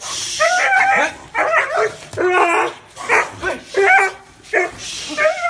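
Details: Repeated dog barks, bright and yelping, come in short bursts about every second, with a faint hiss in the background.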